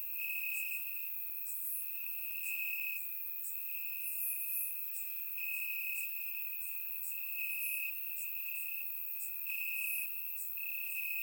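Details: Crickets calling from grass on a warm summer night in Bulgaria, captured with a surround microphone; an unbroken high-pitched trill swells and fades in short stretches while sharper, higher chirps flicker intermittently above it.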